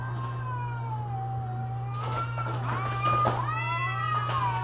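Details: Cats in mating season: a low, moaning wail that dips and rises, broken by scuffling noise bursts, with a continuous low hum behind.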